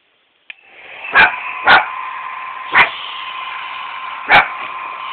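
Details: Evie, a tiny white pet dog, barks at a running hairdryer indoors: four short sharp barks spaced irregularly over about four seconds, over the steady loud roar of the dryer.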